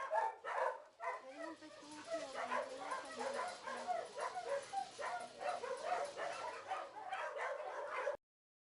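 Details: Dogs at an animal shelter kennel bark in quick, harsh, uneven bursts, with a low whimpering tone partway through and people talking over them throughout.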